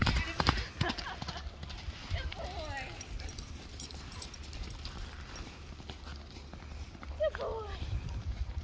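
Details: Running miniature horse: irregular clip-clop hoofbeats, a quick cluster near the start and more toward the end, with human voices talking in between.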